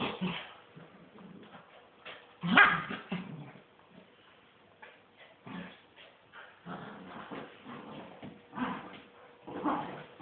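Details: Miniature wirehaired dachshunds, mother and son, during a tug-of-war game; scattered short yips, whimpers and a sharper bark near the start, fairly soft, separated by quiet gaps.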